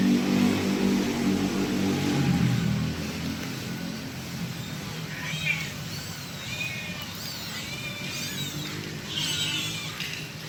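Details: Kitten calling for its mother, with faint thin meows in the second half, arched and repeated, after a loud engine-like rumble that fills the first few seconds.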